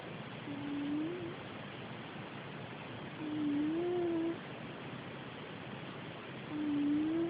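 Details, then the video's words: Patch, a pet cat, snoring indoors: soft whistling tones rise slightly with each breath, about every three seconds, over a steady hiss of background noise. "Snoring cat"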